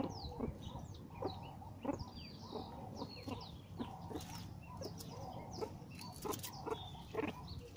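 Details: Captive meerkats excited over a termite mound given as enrichment, giving brief stacked clucks repeated about every half second, over a low rumble with thin descending bird chirps above.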